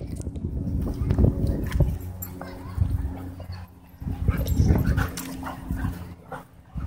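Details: Two German Shepherds and a German Shorthaired Pointer named Bodhi playing together at a dog park; rough, low barks and growly yelps come in irregular bursts, with scuffling and a human voice in the background.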